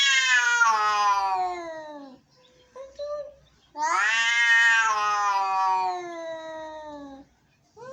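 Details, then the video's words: Angry cats meowing: two long, loud, harmonic-rich yowls, each starting high and sliding downward over about two seconds, separated by a short quieter wail; no other sounds. "Angry Cats.Meowing."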